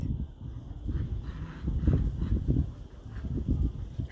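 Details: Border Collie puppies Ruth and Walter playing tug of war. Low, rumbling bursts repeat irregularly about every half second and stay deep in pitch throughout, with soft scuffling underneath.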